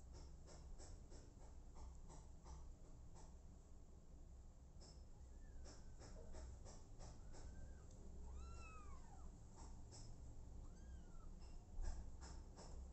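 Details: Several plaintive meows from an abandoned kitten adopted by mother cat Smokey, arched cries spaced a few seconds apart, the loudest near the middle, amid frequent tapping clicks and low hum.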